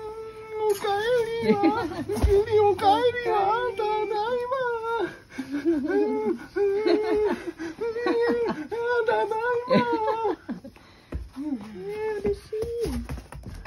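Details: Three-month-old Rottweiler puppy greeting its dad at night indoors, a nightly welcome routine; high, wavering whimpers and whines rising and falling in quick bursts over thirteen seconds, with occasional human voices and laughter in a small room.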